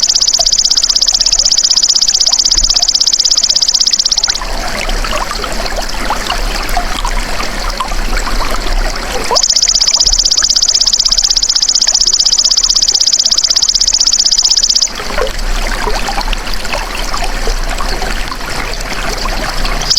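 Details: Belalang emas, the golden grasshopper, used as bird-training masteran. High, evenly pulsed buzzing comes in two bursts of roughly four to five seconds each. Between them are quieter stretches of trickling, watery background noise.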